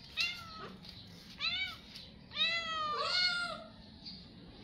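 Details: Stray cats begging for food when hungry: three meows in quick succession, the first two short and arched, the last longer and wavering, over a low steady background hum.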